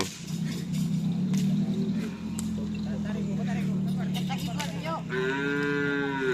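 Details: Madura cattle at karapan sapi racing practice on the Asemanis field in Pamekasan, preparing for team Gagak Rimang's anniversary; a long, low, drawn-out moo holds for about five seconds, followed by a higher harmonic cry over background engine and crowd noise.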